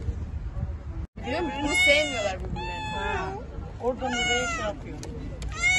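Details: Turkish Van cat among feral cats at a spay and neuter organization, uttering loud, harsh, wavering meows in quick bursts, with people speaking Turkish nearby.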